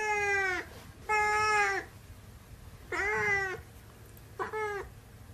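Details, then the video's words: Siamese cat meowing four times in quick succession, each call rich and nasal with a slight downward bend at the end, the second and third longest, over a low background hum. "Siamese Cat Meowing"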